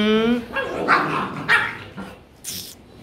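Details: Rottweilers kept together as a group, filmed after being given playful makeup; a few short, rough barks spaced about half a second apart, with human speech and laughter around them.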